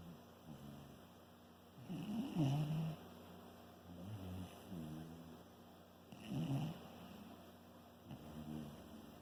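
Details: Sleeping Shiba Inu giving softer, uneven snores, low rough breaths rising and falling about every four seconds.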